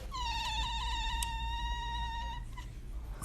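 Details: Domestic cat giving one long, drawn-out meow lasting over two seconds, held steady at a single pitch with a slight dip near the middle and fading at the end; faint background hiss.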